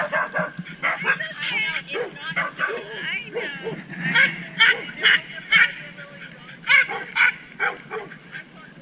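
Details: Maya, a Border Collie, in her favourite dog park as a rowdy crowd arrives; sharp barks repeat roughly twice a second among higher yips and whining, other dogs chiming in, voices and crowd noise beneath.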